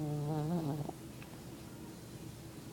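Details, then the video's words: A lazy dog asleep gives one low, buzzy, voiced snore with wavering tones lasting under a second, followed by a steady faint room hiss. "Lazy snoring dog"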